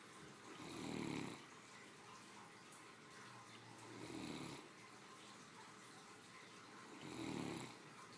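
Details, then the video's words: Three deep, rumbling snores roughly three seconds apart come from a three-year-old female Great Dane, a spoiled family dog dozing comfortably after her midday meal, in a quiet room. "My 3 yr old snoring after a hardy lunch"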